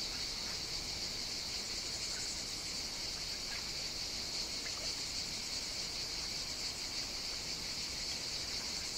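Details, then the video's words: Cicadas singing on the Greek island of Evia on a hot summer day, a dense, steady, high-pitched shrill buzz with a lower hissing layer, unbroken throughout, with faint scattered chirps underneath. "Cicadas Sing On the Greek Island of Evia"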